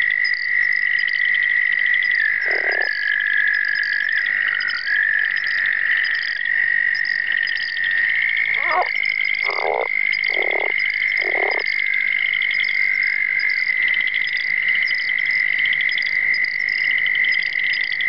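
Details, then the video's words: Southern leopard frog (Rana sphenocephala) calling: short, low, grating pulsed croaks in a brief burst, then a cluster of four in quick succession, over a steady high trilling chorus of other frogs or insects. "Southern Leopard Frog Calling"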